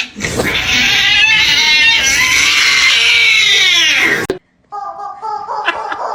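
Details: Cat from a funny pets compilation lets out a long, loud, strained yowl for about four seconds, wavering and slowly falling in pitch, then cut off abruptly; short faint tonal bursts follow after a brief silence.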